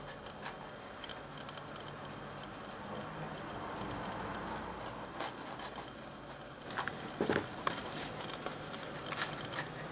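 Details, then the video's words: Two guinea pigs, an agouti and a white-and-brown one, eating red pepper indoors; irregular crunchy chewing and crisp bites come in scattered bursts, busier in the second half, over a low steady room hum. "Guinea Pigs - Eating Red Pepper"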